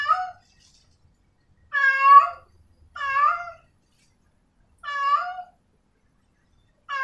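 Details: Female cat in heat meowing to a male: four clear, drawn-out meows with strong overtones, spaced irregularly over seven seconds, each ending in a slight downward or upward bend, over a silent background.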